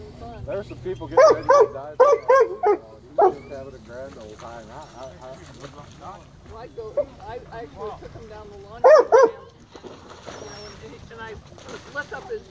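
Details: Rescued black and tan coonhound at a county dog park, giving high-pitched barks at fish before diving after them: bursts of rapid yelping barks, a clustered series early on and another around nine seconds, with splashing and background voices.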